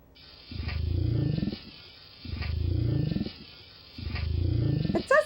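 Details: Gray whale (Eschrichtius robustus), zipper-like call: social call related to mating or breeding.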